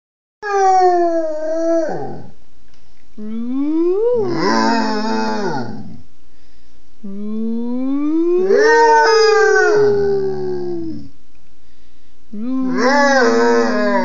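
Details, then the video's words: Basset Hound howling in a way its owner calls singing: four long drawn-out howls, each starting low, swelling and bending in pitch before sliding down and breaking off, with short pauses between them. "Basset Howling"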